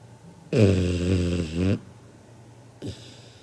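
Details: Kinako, a sleeping 7-month-old Labrador Retriever puppy, snoring loudly like a grown man: one long, deep, rough rumble of about a second, then a short faint snort after a pause, in a quiet room.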